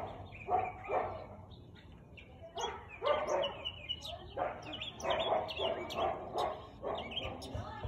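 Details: Siberian Husky barking on 13 March 2021 at 4:17 pm: loud, hoarse barks in irregular bursts of two to four, spaced about a second apart, with soft bird chirps in the background.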